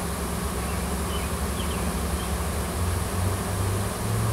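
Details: Continuous deep humming from a wild honey bee swarm on a Washington farm, a new queen and her workers looking for a home; the drone swells slightly toward the end, with faint higher chirps.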